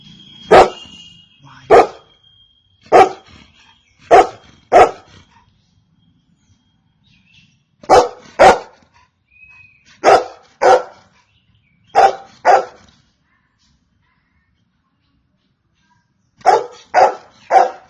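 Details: Golden Retriever barking repeatedly: sharp single and paired barks about a second apart, a quiet gap of several seconds midway, then a final quick run of three barks.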